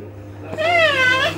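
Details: Maine Coon cat giving a drawn-out meow, arched in pitch and ending with a slight upturn, after a soft click; low hum in the room and a woman speaking French nearby.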